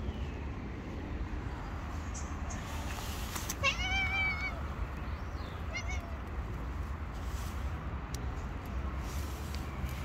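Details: Hungry stray cats living on the street give a brief harmonic meow around the four-second mark, with a fainter second call near six seconds, over steady low traffic rumble and distant urban noise.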